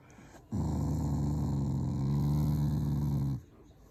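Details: A Shiba Inu, a loving family dog, growls affectionately rather than angrily while seeking attention from its owners: one low, rumbling growl held steady for about three seconds, then stopping abruptly, with a quiet room behind it.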